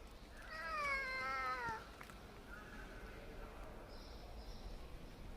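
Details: Kitten meowing: one drawn-out, slightly wavering meow lasting about a second, followed by a faint second cry and quiet background hiss.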